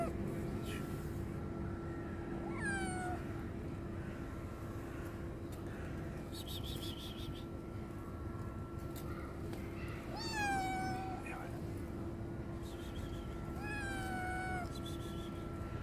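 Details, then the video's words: Hungry homeless kitten, attacked by a strong male cat, gives three clear harmonic meows, each falling then levelling off, spaced about four seconds apart, over a steady low hum and faint background noise. "Hungry Homeless kitten is attacked by a strong male cat"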